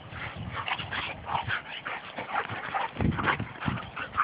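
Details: Two Labrador retrievers wrestling and playing rough together: a busy mix of short growls, whiny yelps and huffs overlapping, with a low rumbling scuffle and thumps underneath.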